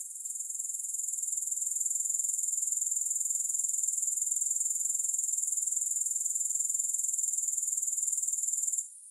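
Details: Grasshopper sound: a piercing, high buzzing trill that fades in, holds steady with fast regular pulsing, then cuts off abruptly at the end.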